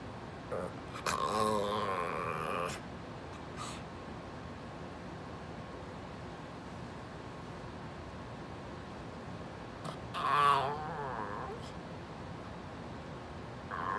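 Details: Talkative Brussels Griffon named Pumpkin, a female pet dog, grumbling at her owner to move over; a wobbling, moaning vocalization of about two seconds, a long quiet pause, then a shorter warbling complaint.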